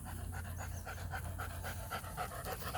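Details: Florida show line German Shepherd Joe, about three years old, pants in a fast, even run of breathy huffs over a soft low drone, with no voices heard.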